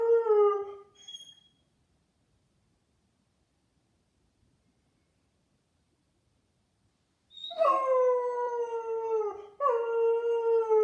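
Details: Blonde Bouvier named Hera, likened to Chewbacca, ends a falling moan, falls silent for several seconds, then resumes with two long, slightly descending harmonic howls.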